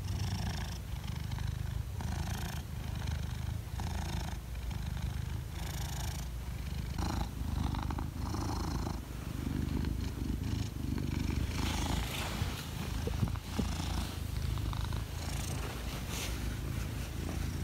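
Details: A cat under a table purrs throughout, a deep, even rumble that rises and falls with each breath, with light scratchy rustling and brief soft clicks layered over it.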